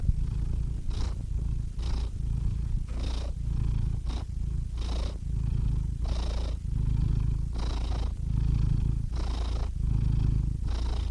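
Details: Steady purring from a domestic cat: a throaty low rumble that swells on each inhale and exhale, with short airy pauses roughly every second, continuing evenly throughout with nothing else audible.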